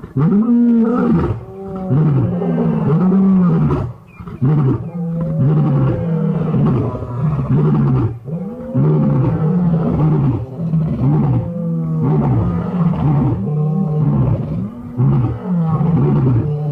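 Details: Five male lions in Birmingham roaring in chorus on August 13, 2015: a continuous series of deep, loud roars and grunting moans repeated every second or so, overlapping voices throughout.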